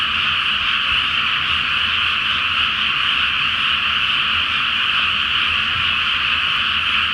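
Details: Night chorus of many frogs in a flooded Japanese rice field awaiting planting, full moon overhead: continuous massed croaking blended into a thick, even drone that holds level for the whole stretch, with faint low rumble beneath.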